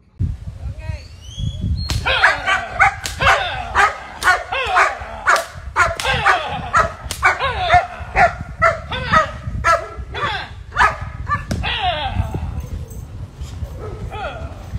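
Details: German Shepherd named Artur von Grifón from Criadero von Grifón kennel in Panamá, barking in a rapid series of sharp, loud barks, about two per second for roughly ten seconds, while a person repeatedly commands "quieto".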